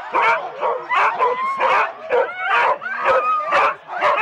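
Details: Husky sled teams of four dogs waiting for the start, Rendlesham, January 2016, analogue cassette: loud, sharp barks repeated roughly every second and a half, with high whining yips sliding between them.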